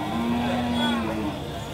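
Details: Improved-breed Indian bull at the Chaubaria cattle market, Manda upazila, Naogaon district, recorded 21 September 2018: a single steady, flat, low moo lasting about one second, amid constant crowd chatter and market noise.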